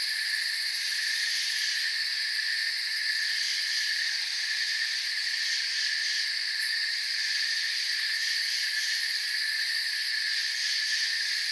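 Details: Crickets in forest surroundings keep up a constant high, buzzy chirping chorus in layered bands, even and sustained, with a brief faint click near the middle.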